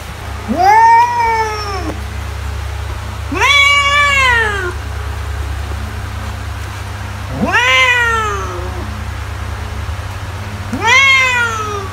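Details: Domestic cat meowing to drive mice away, four plaintive meows arriving about every three and a half seconds, each rising sharply then falling off, separated by quiet stretches of low hum.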